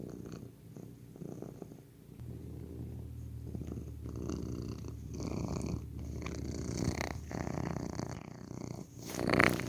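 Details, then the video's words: Low continuous purring from a domestic cat, a buzzing rumble with a steady hum underneath, joined near the end by louder rustling and handling noises. "Healing Sounds of Cat's Purr"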